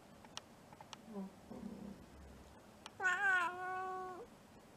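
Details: Momo, a roughly four-year-old cow-patterned mixed-breed house cat, in a clingy, affectionate mood indoors, gives a few soft low chirps, then one long clear meow that rises sharply and holds a steady, slightly falling tone for over a second, with light tapping around.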